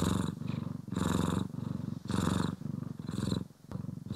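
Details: Close stereo recording of a pet cat, one of Poki and Kiwi, purring while groomed and brushed: soft low rumble rising and falling in roughly second-long cycles, with a brief dip in intensity near the end.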